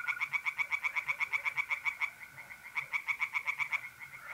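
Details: Tree frogs singing by night in a pond in north-east Italy in mid-April: rapid pulsed croaks, about eight per second, in bursts with a short pause, over a steady trill of mole crickets.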